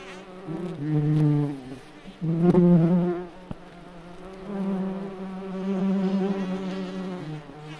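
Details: May beetle in a forest buzzing with its wings: two strong droning bursts early on, then a softer, continuous low hum to the end.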